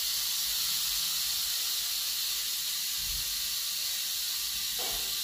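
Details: Kept rattlesnake, named as the largest US viper, producing a continuous high hissing rattle, with a soft low thump near three seconds and a brief scraping sweep just before the end.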